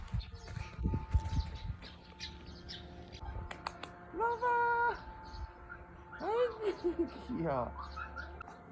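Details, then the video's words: Three puppies born January 2021 to Dongsan, a balbari mixed dog, enjoy spring in Seongsu-ri, Hongcheon County, Gangwon Province; they give high, arching harmonic whines mid-clip, with human speech, music and rustling around them. "할머니네 새끼강아지"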